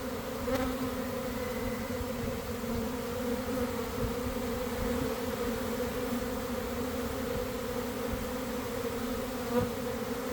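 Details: Large honey bee swarm gathering at a garden hive after cold, damp days, early afternoon: an even, sustained buzzing drone with banded hum, a few soft knocks heard over the steady mass of wingbeats.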